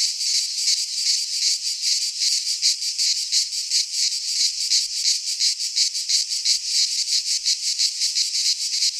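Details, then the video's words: Midsummer chorus of cicadas in Greek pine forest, a steady shrill rasping drone throbbing in quick regular pulses, nothing else audible. "Cicadas singing in midsummer - Nature sounds from the Greek fauna - Sounds of cicadas"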